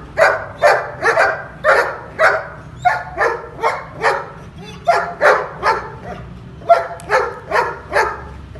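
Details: Long-coated male German Shepherd in Pakistan barking loudly in quick repeated woofs, about two per second, with brief breaks between volleys and a steady low hum underneath.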